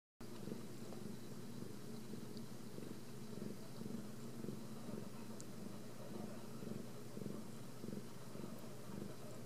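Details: Ragdoll kittens raised in a home cattery without cages in central Kansas purr steadily. It is a low, rough, continuous rumble pulsing in a fast, even rhythm, with a few faint ticks above it.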